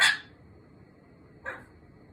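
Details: Small cream Pomeranian barking toward the bathroom indoors: one sharp, bright yap at the start and a second, softer bark about one and a half seconds later, quiet room between.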